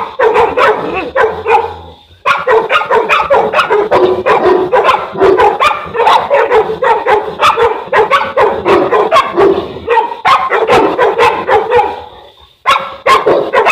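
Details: Boerboel, a South African Mastiff living in Egypt, from the couple Enzo and Diva; a long, nearly unbroken stream of powerful, rapid barks, pausing briefly just after two seconds and again near twelve and a half seconds.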